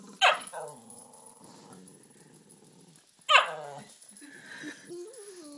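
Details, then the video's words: Female Cairn Terrier guarding her toy, a stocking stuffer, from a Fox Terrier: two sharp yelping barks about three seconds apart, with a low, rumbling growl in between. "the Carin Terrier guarding her toy"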